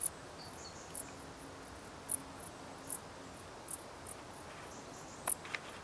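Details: Dark bush cricket song: crisp high chirps given roughly once a second, some louder than others, a faint low hum running through the first half.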